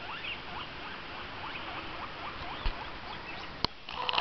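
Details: Pet guinea pig kept indoors giving a run of short rising squeaks, about two per second, each sweeping upward, against steady room hiss, ending with a sharp knock and handling noise.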